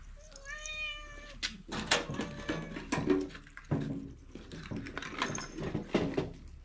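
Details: A pet cat eating dry food, one of two at the bowl, lets out a single clear, drawn-out meow at the start, then loud crunching and chewing of kibble carries on.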